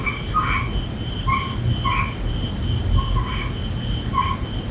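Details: Night frog chorus with short paired croaks repeated roughly every second, each note a brief harmonic blip, set against a continuous low rumble and a thin steady high tone.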